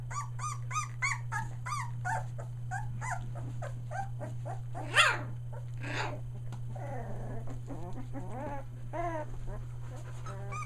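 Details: Litter of Australian Shepherd puppies nearly three weeks old, merle coats; rapid series of shrill whining squeals with arched pitch, a loud yelp midway, then softer overlapping whimpers, all above a steady low mechanical hum.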